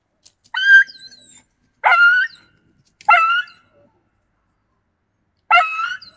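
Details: Yakutian Laika recorded in November 2020, producing four clear, high, ringing bark-yelps, three close together, then a pause before the last one.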